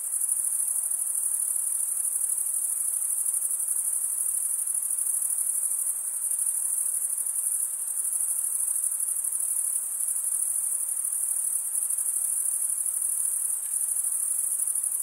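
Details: A continuous wall of cricket chirping, shrill and high, pulsing faintly but never pausing across the whole stretch, with only a brief slight dip in loudness near the middle and nothing else audible.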